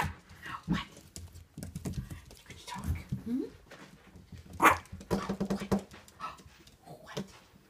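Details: Fiona's puppies indoors, wagging their tails while being greeted; a short rising whine stands out midway among soft yips and pattering paws, with a person talking warmly to them throughout.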